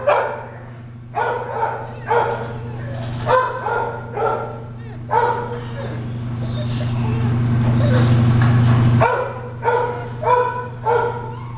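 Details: Red and white male spaniel mix at a city animal control shelter in St. Charles, giving short barks repeated about once a second over a steady low hum, with a longer noisy stretch mid-way.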